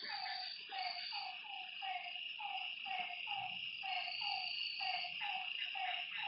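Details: Frogs calling at night by a lake: short, mid-pitched notes repeated about twice a second in a steady series, over a continuous high buzzing chorus of night insects.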